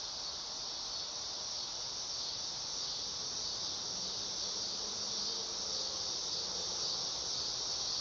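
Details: Dog-day cicada (Neotibicen canicularis) singing in summer: a steady, high, hissing buzz that holds an even level throughout, with no clear pulses and only faint low background noise.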